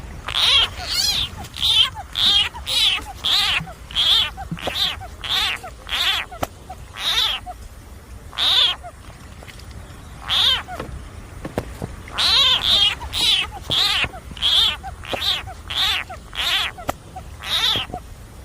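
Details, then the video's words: Frog facing a snake, uttering rapid series of short, shrill, nasal wails, several per second, easing into sparse single cries midway, then a fresh fast burst of about ten near the end; faint steady low rumble beneath. "Frog sounds"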